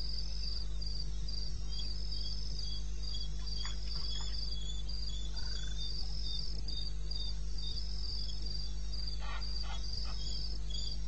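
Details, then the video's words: Crickets calling in the wilderness of eastern Botswana, recorded 21 May at 2:30 AM: high, pulsed chirps in a steady rhythm of about four per second over a constant low hum, with a few faint clicks. "1 Hour cricket sound-Africa"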